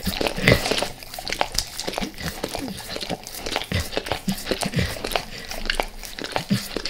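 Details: Max, a pet dog, devours natural peanut butter indoors before leaving El Paso: rapid wet smacking licks and sticky tongue clicks, tightly packed and uneven, with a few louder smacks near the start.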